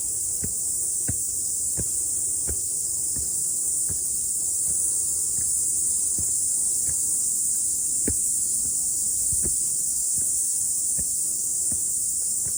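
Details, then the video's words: Cicadas singing after rain on a morning mountain hike; their steady high, hissing drone runs on while soft low thuds repeat roughly every half second to second, like footsteps. "Sounds of Cicada"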